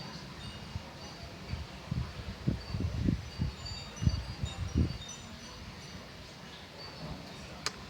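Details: Tinkling wind chimes over a low hum, with a cluster of soft, dull thumps in the middle seconds and no animal call.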